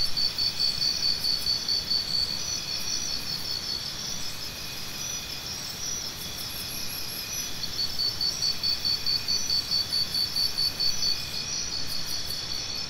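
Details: A cricket trills in short high pulses at a brisk steady pace, stops for several seconds, then resumes, against a continuous bed of insect noise and faint higher buzzing.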